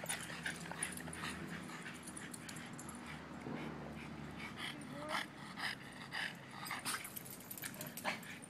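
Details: Playing Boston Terriers at a dog party (Zazu, Stitch, Baloney, Dixie, Gypsy, Bones); a low growl early on, then sharp yips and a brief rising whine, among clattering play noises.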